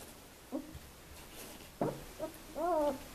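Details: Two-week-old puppies from the Elite/Sweet litter of 2015 at Le Domaine des Pertins, France; short whimpers, then a longer wavering whine with clear harmonics near the end, in a quiet indoor room.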